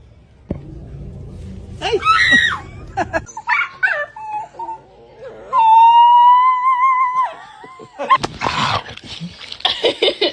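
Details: Indoor dog giving a long, steady, high howl-like "woo" with a slight wobble, preceded by scattered yelps and followed by noisy laughter and chatter.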